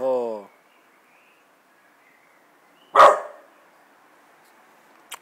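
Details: American Bulldog named Jack: a man's voice calls out praise at the start, then after a pause one loud, abrupt bark rings out, followed by a faint short click near the end.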